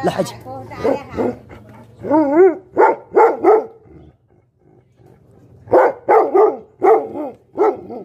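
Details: Bhote Kukur, the Tibetan Mastiff, giving angry, rough barks with a wavering, rising-and-falling tone, grouped in runs of three or four, separated by a quiet gap before the next run.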